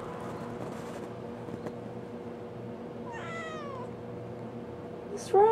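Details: Halo the kitten gives a short, fairly soft meow that bends upward and then falls, in reply to her owner asking if she is tired. Before it is a quiet interior, and a sudden loud burst follows at the very end.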